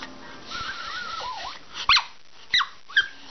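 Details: Toy Poodle begging for treats indoors on a rainy day, giving wavering high whines that rise and fall, then three short sharp yelps spaced about half a second apart.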